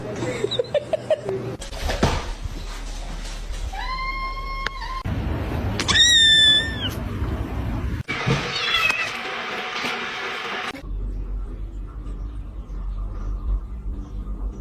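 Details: Domestic cat meowing twice in short, tonal, slightly falling calls amid people talking, laughing and household clatter indoors.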